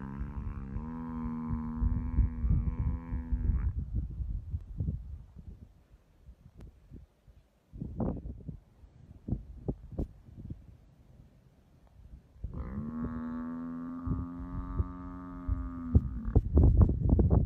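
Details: Two long, steady, deep bellows of roughly three and a half seconds each from a buffalo being eaten alive by a hyena after being caught asleep, with sharp cracks and crunching in the gaps.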